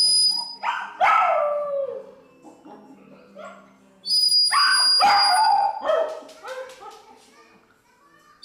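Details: Pomeranian dog trying to sing while listening to music gives two loud bouts of wavering, yelping howls, each sliding downward over about a second, mixed with shrill whistle-like tones and a faint background hum.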